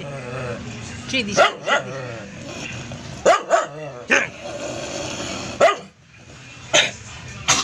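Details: Shady the doodle poodle barks in short, sharp bursts: a pair early on, a quick double around the middle, then scattered single barks toward the end, mixed with a man's repeated calls of the dog's name.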